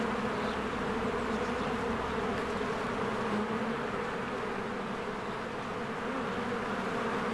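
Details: Springtime honeybees crowding in and out of their cozy hive: steady, dense wing buzz with a droning low hum, loudness nearly constant, and brief faint higher notes near the start.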